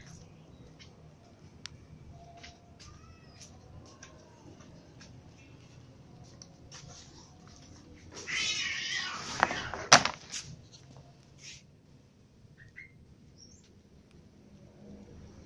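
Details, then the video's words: Hungry kittens and adult cats waiting to be fed give several soft, rising meows with harmonics. A louder, broad burst of noise comes near the middle, then a sharp click, and quieter meows and faint rustling follow. "Hungry little cats and adult cats waiting to be fed"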